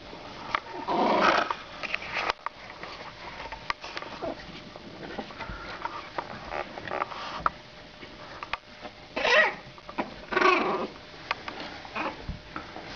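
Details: Two female French Bulldog puppies, 27 days old, born 23 December 2011, starting to play and growl together indoors; short rough snuffling bursts come near the start and twice near the end, with soft scuffling and pattering between.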